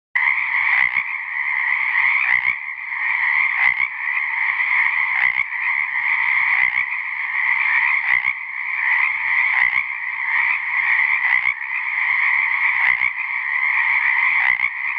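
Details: A male Pacific treefrog calls to attract females into his small area of an ephemeral pond at South Beach State Park, Oregon, on January 13, 2018, amid a dense, steady chorus of raspy two-part croaks.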